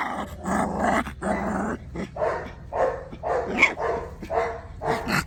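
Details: Tibetan Mastiff puppies, growling and barking in a run of rough, grumbling bursts about every half second, with yips between them.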